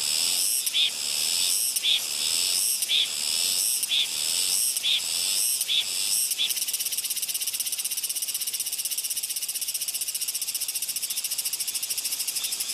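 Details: A Soyosan cicada on Muuido sings a shrill, high buzz, first in pulsed bursts about once a second, then continuous.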